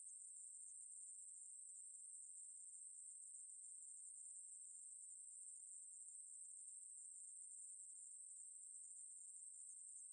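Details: Steady high buzz of a Ruspolia katydid, from a National Institute of Biological Resources recording made in 2020, running unbroken for ten seconds with a constant pitch and a quiet background.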